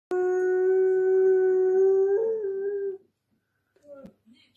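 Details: A male Weimaraner throws a fit for attention, giving a long, steady howl that lifts slightly before tapering off.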